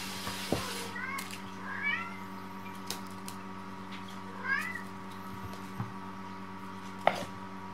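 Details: Munchkin kittens, three siblings, give a few soft, high mews that rise and bend over a steady indoor hum, in the morning before breakfast.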